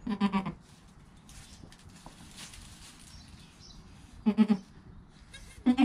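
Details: Goat sounds in the first hour after kid Joel's birth, with his mother Penny present, recorded on a GoPro; low, throaty, pulsing bleats in three short bursts, separated by quiet rustling.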